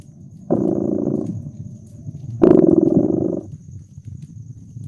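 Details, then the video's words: Cat purring by a crackling fireplace on a snowy winter night, relaxed: a rough, pulsing low purr swelling into two strong bursts two seconds apart, with quieter rumbling in the gaps, scattered crackles and a faint high whine. "Relax with Purring Cat and Caracking Fireplace"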